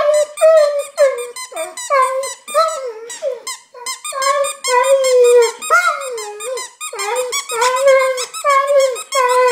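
An Alaskan Malamute whines and cries in a run of high, wavering, nasal yelps.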